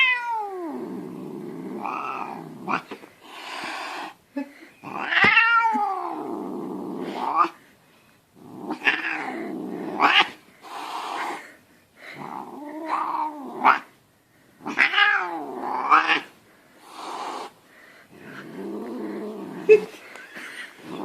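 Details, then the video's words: Angry domestic cat yowling and growling, swatting with its paw: drawn-out wavering wails and moaning howls in repeated bursts, with a woman speaking soothingly in Russian between cries. "ANGRY CAT"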